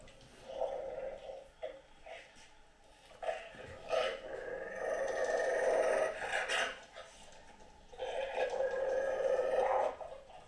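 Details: Great Dane called Anúbis howling indoors: long sustained mid-pitched wails with steady bands, swelling over about two seconds and then fading, with short bark-like bursts between them.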